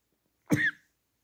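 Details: Four-week-old Beagle puppies playing with each other; a single brief whimper, about a third of a second long, a thin tonal cry that bends and slides downward, against a quiet background.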